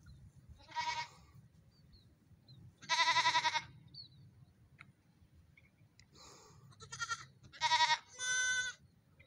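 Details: Bleating goat kids during a morning run: strong quavering bleats, one early, one longer, then a rapid cluster of three near the end, over a steady low hum.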